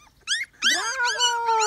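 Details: Labrador Retriever puppies, males and females born on 29 April 2018, kept with both parents in Ravenna, Italy; high whining yelps rise and fall, several overlapping, with a long steady whine near the end.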